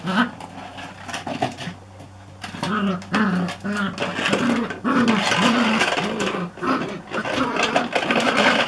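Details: Border Collie rounding up plant pots, recorded 17 July 2014: low, rough growling yaps in a quick series, over loud scraping and clattering of pots.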